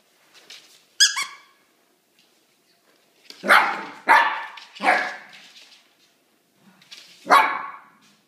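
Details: Dog inviting its new toy bunny, a gift, to play: a high squeaky whine first, then after a pause a run of three rough barks trailing into moans, and one more bark near the end.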